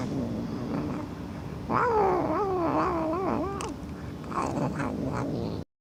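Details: Loud, wavering cat meow stretched over about two seconds, its pitch bending up and down in a yowling, plaintive wail over a steady background hum before cutting off abruptly.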